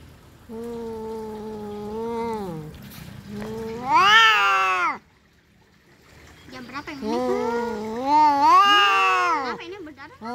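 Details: Two domestic cats in a fight: a low steady moan climbing into a loud strained yowl, a short quiet pause, then another rising, wavering howl.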